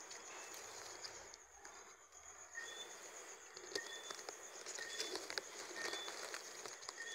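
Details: Brief paired whistles of Johnstone's whistling frog, a low note followed by a sharper high one, recurring in the second half beneath a constant shrill insect hum and heavy crackling background noise.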